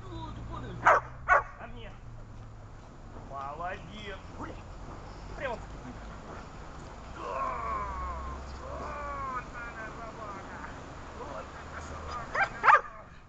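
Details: A dog at a training session on 26 August 2020 gives two sharp, loud barks. A man then speaks Russian for several seconds, and two more barks come near the end.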